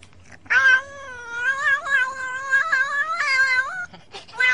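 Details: One long, continuous, wavering cat yowl lasting over three seconds, its pitch rising and dipping in small bends, followed by the onset of another cry, from a funny cat compilation.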